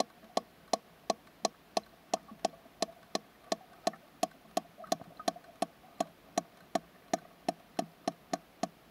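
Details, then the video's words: Female sperm whale calling out to a smaller companion while spinning to echolocate, with members of their social unit clicking faintly from the depths; sharp, evenly spaced clicks repeat about every third of a second over a low underwater hiss. "How a Sperm Whale DMs a Friend"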